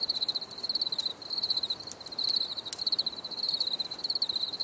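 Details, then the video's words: High, shrill cricket chirps for relaxation, delivered in rapid pulsed bursts that repeat about every second, steady and continuous, with a soft hiss underneath. "Les grillons || Bruit de Grillons Pour la Relaxation Anti Stress"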